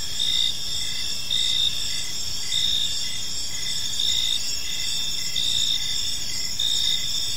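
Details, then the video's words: Evening park chorus of crickets, bright high trills held steadily while a pulsed chirp returns roughly every one to one and a half seconds, with soft background rumble. "Cricket Sounds in a Peaceful Park"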